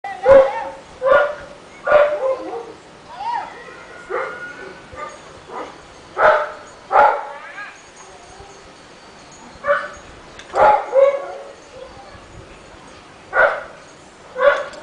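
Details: Rottweiler in a neighborhood barking all day long: loud, deep barks come singly and in pairs at uneven gaps, with quieter yelps and rough vocal sounds in between.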